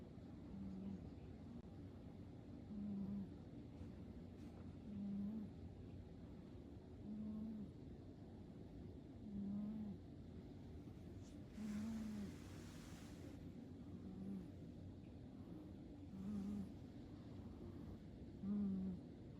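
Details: Fu-tan the cat snoring softly, low droning snores repeating steadily about every two seconds, nine in a row, with a brief rush of broadband noise partway through.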